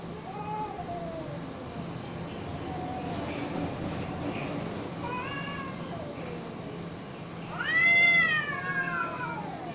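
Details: Cats fighting: drawn-out harmonic yowls rise and fall over a steady background hum, building to a loud, high, arching caterwaul near the end.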